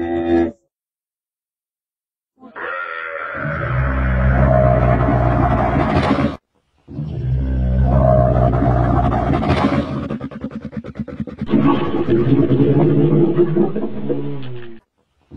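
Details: Camel giving deep, gurgling rumbles, three long bellowing roars with a pulsing, bubbling texture, separated by brief silences.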